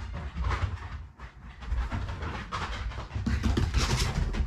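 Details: Shiba Inu growling in excitement after a bath, an affectionate rather than angry sound from a family pet being squeezed dry; low, rough rumbling, continuous with breathy pulses and no clear pauses.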